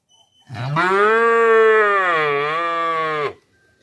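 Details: A cow gives one long, loud, steady moo lasting about three seconds, rich and tonal, with a slight dip in pitch near the end; quiet surroundings otherwise.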